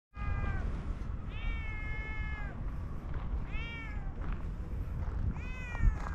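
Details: Orange tabby cat giving four drawn-out, clear meows, each about a second long and slightly falling at the end, spaced over six seconds above a steady low background rumble.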